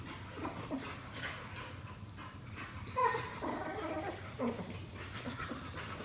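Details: Pair of pet Boxers in lazy play-fighting on a couch at home; low rumbling growls with panting breaths, two sharper tonal grunts standing out midway and near the end, soft rustling between.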